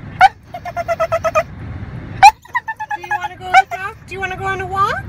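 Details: Sally, a pet dog, squealing with comically dolphin-like squeaks: sharp rising cries, a quick even run of about six pulsed yips, then wavering whines sliding upward, over a low traffic rumble.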